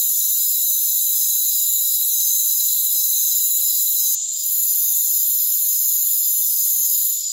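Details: Rainforest crickets trilling nonstop in a bright, high, buzzing wall of sound, one short dip midway, otherwise unchanging.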